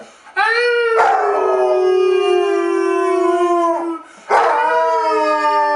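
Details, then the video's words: Harley, a rescued 8-year-old Basset Hound from Portland, Oregon, gives a long, steady, harmonic-rich howl that holds its pitch for about three seconds and tapers off, then starts a second sustained howl after a short break. "Concerto in Howl Minor"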